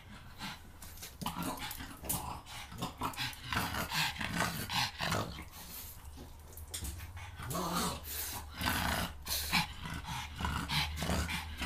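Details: A pet pug in a funny compilation of talking pugs, growling and grumbling in rough, uneven bursts indoors, with rustling and handling noises throughout.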